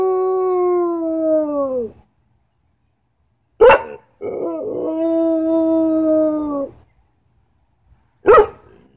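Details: Belgian Malinois giving drawn-out howls, each held about two seconds with a gentle downward droop at the end, separated by sharp bark-like bursts and brief silences.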